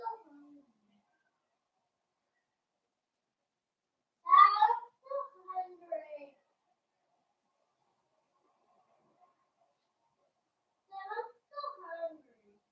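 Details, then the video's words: Young blenheim Cavalier King Charles Spaniel puppies at play with their mother Paris indoors, one of a litter of five: bright, wavering whining yelps in two clusters, separated by several seconds of silence. "Cavalier Puppies Play with Mama"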